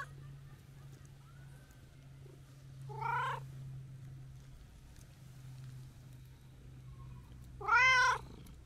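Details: Talkative brown-and-white tabby stray cat greeted on a New Year visit, giving a short meow and then a longer, louder arched meow about five seconds later over a constant low hum.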